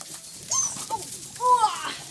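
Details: Long-coated German Shepherd puppies: a few thin, high whining whimpers, the last one longer and falling slightly, mixed with a woman's voice as she names the pups.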